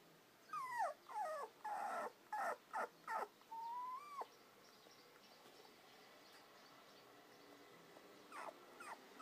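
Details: Female red Toy Poodle puppy born 5 May 2014, at a breeder in Kumamoto; a run of high, wavering whimpers and short yelps in quick succession, then a sliding whine, quiet pause and a few faint whimpers.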